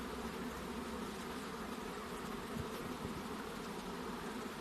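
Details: A mass of honey bees hums at a second beehive box. The thick, even drone carries a few short clicks or taps partway through.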